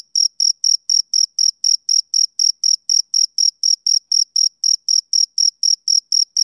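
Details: Steady chirping of a male cricket on a summer evening, shrill short pulses at roughly four per second, evenly spaced and uniform in loudness, against complete quiet.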